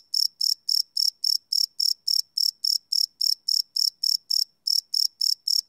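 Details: Crickets calling after dark, recorded live: sharp, shimmering high chirps in a regular rhythm of about four per second, with one short skipped beat near the end.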